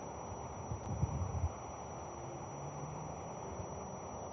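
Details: Low rumbling wind and distant traffic noise, with a brief thumping burst near the start; no animal voices.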